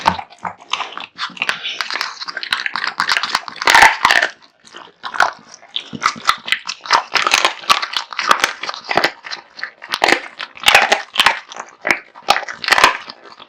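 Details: Kotetsu, a big-eating male American Bully, gorging on raw meat and bones: continuous, vigorous crunching and tearing with a loud crack of bone early on, chewing strokes coming several per second.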